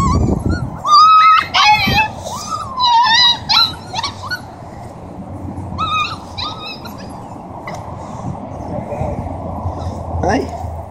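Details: Huskies of a Siberian husky family in Oregon give clustered wavering whines and yips during the first four seconds, then sparser brief cries as the sound fades into a low background rumble.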